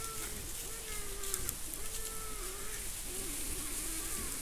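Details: Wild boar sows nursing piglets, filmed by a camera trap in the Monti della Laga, Gran Sasso National Park, Italy, between 2015 and 2019. They give drawn-out, tonal whining calls that bend up and down over steady rain-like noise.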